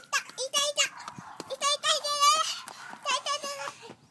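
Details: High-pitched squealing whimpers from brindle French Bulldog puppies, male and female, born 29 May: short wavering cries come in quick bursts, about three clusters in four seconds, each squeal bending up and down in pitch.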